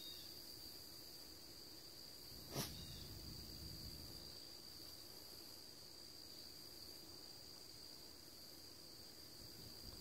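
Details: Crickets in September, recorded on a Thursday afternoon at 2:40 P.M.: a constant high, even drone, joined briefly by one sharp knocking thud early on over low background rumble.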